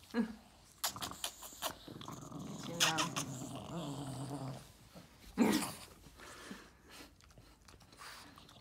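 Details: Boston Terrier named Yoda, indoors in the evening while picking his favourite treat, gives a low harmonic growl-whine around the middle, with scattered clicks, thumps and a brief human voice.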